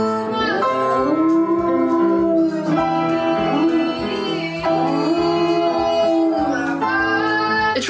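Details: Piano music with a person singing along, steady melodic notes throughout and no animal sound.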